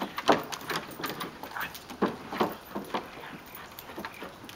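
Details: Yard play in May 2012 among four dogs (a Great Dane mix, a Siberian husky and two mixes): sharp harmonic barks and yips burst out irregularly, strongest near the start and midway, over rustling movement.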